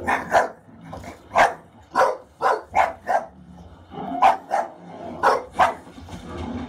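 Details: English Bulldog, a female pet, fiercely protective while watching a film scene of an actor in distress during a bear attack: a run of about ten sharp, loud barks, some in quick pairs, with film soundtrack faintly beneath.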